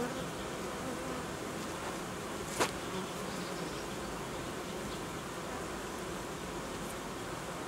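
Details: Colony of honey bees during reorganisation, as new frames are withdrawn from the hive's edge in cold weather; a continuous, even buzzing drone runs throughout, broken once by a sharp click.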